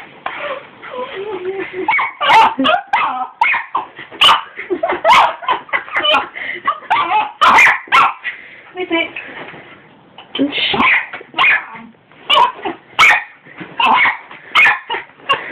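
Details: Pet dog barking at a hoover, recorded on a phone: repeated sharp yapping barks in quick bursts, mixed with a person talking over the barking throughout.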